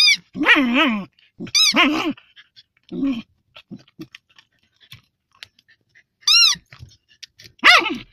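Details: Moaning fox terrier: drawn-out wavering groans that slide up and down, followed by sharper high whines, with soft clicks and near silence in the pauses.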